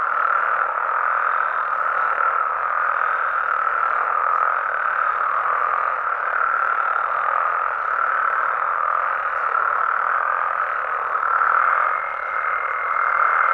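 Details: Amphibians calling through the night in Mexico: a steady, unbroken croaking chorus for over thirteen seconds, joined near the end by a thin, level high tone.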